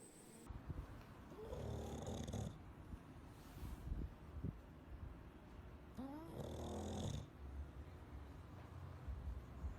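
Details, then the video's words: Sleeping Bulldog snoring indoors, each long, rough, rattling inhalation lasting about a second, returning roughly every four to five seconds, with quieter breathing between. "Bulldog Dormindo e Roncando"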